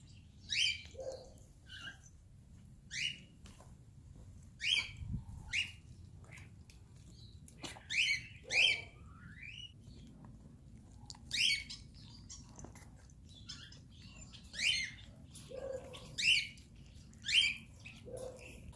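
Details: Abandoned Chihuahua crying after being reunited with its owner: short high whimpering squeals with rising harmonic stacks, repeated irregularly every one to two seconds over a low steady indoor hum.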